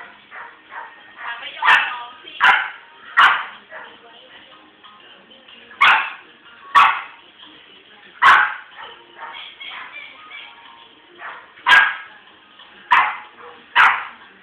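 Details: French Bulldog barking in a burst of sharp, repeated barks, several in quick pairs spaced a second or two apart across the recording, with speech and background music also present.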